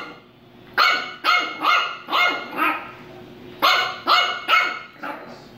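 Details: A female French Bulldog puppy gives two bursts of sharp, high barks at her doorbell, which doubles as her treat dispenser, demanding a treat.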